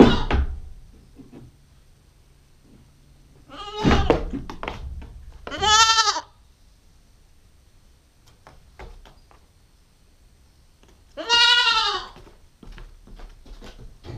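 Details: Two tremulous bleats about five seconds apart from a nine-week-old female Nubian goat kid, filmed with a GoPro, with a dull thunk and scattered rustling between them.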